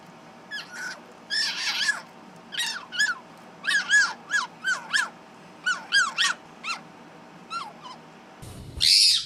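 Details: Vocal pet fennec fox repeating short, bright downward-sliding chirps, sometimes doubled, roughly every half second, over a constant background hum; a loud harsh burst closes the recording.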